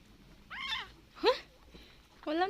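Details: Abandoned kitten left on the road, being fed milk after going two days unfed: three short high meows, each a quick rising-falling whine, with a woman speaking softly between them.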